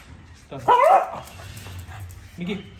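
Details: Micky, a very active pet Pug, playing with his owner, recorded on an iPhone 13 Pro Max: one short, loud bark with a bending pitch, framed by quiet room noise and a person's spoken commands.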